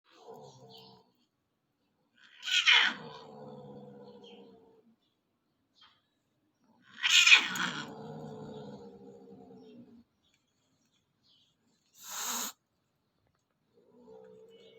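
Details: Cats fighting briefly near a house door: harsh, screeching yowls slide down into drawn-out growling wails, aggression during the fight.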